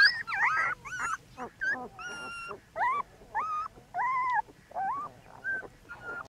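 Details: Newborn puppies in a backyard whimpering and squealing in a busy chorus of high, wavering tonal cries, some bent upward, others held steady, pouring out in quick overlapping bursts with short gaps.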